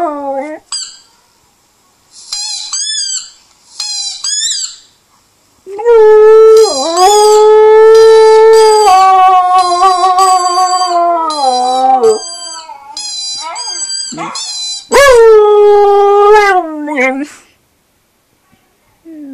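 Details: Husky howling: brief high yelps first, then a long, loud, even-pitched howl of about six seconds that sags near its end, a pause with faint squeaks, and a second shorter rising-and-falling howl.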